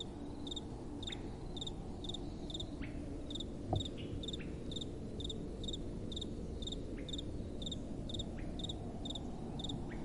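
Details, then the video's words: Crickets at night keep up a regular series of thin, high chirps, roughly two each second, partly masked by a stronger steady rumble of soft wind and one short knock midway. "Relaxing Night Time Sounds | Crickets & Soft Wind"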